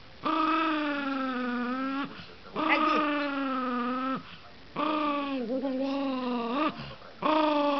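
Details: Russian toy terrier Gerz von Dante, filmed 3 December 2012, howls and whines in long, sustained, slightly wavering notes, each lasting about one and a half to two seconds, separated by short pauses, four bouts in all.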